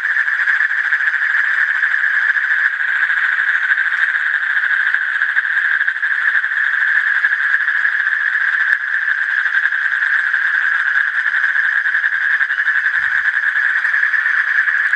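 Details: Asian common toad giving a continuous, steady, purring trill at a single mid pitch, unbroken throughout, with no other clear sounds.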